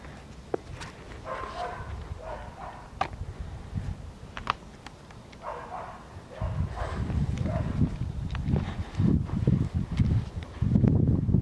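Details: Eight-week-old Siberian Husky puppy on its first time outside in the snow, let out alone. A few short, high yipping whines come in small bursts amid heavy low rumble from wind and handling, with some footsteps.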